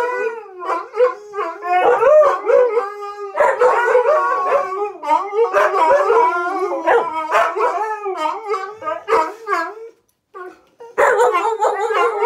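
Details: Pack of huskies and husky mixes in a group howl, one dog not a husky; dense overlapping wavering howls and yips, nearly continuous, with a short pause near the end before the chorus resumes.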